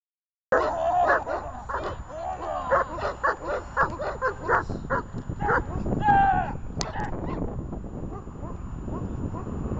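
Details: Dog barking during guard protection training: a rapid, sustained series of loud, harsh barks, several each second, starting abruptly, with a sharp noise and rougher sounds later in the sequence.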